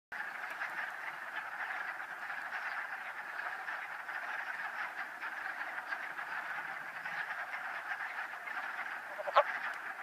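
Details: Wood frogs in a mating ball call in a dense chorus of hoarse, duck-like clucks blurring into a continuous rattle, one sharper note near the end; vernal pool, Old Saybrook, Connecticut, 13 March 2013.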